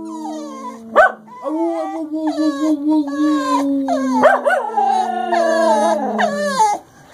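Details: Two English Cocker Spaniels howling together in a duet: long sustained tones with stepped, wavering pitch and rich overtones, interrupted by sharp yelping rises, voices overlapping for about six seconds.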